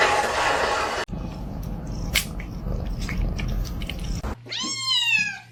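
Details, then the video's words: Kitten indoors, heard first under a rush of broadband noise and soft clatter, then giving one clear, bending meow near the end. "kitten meowing"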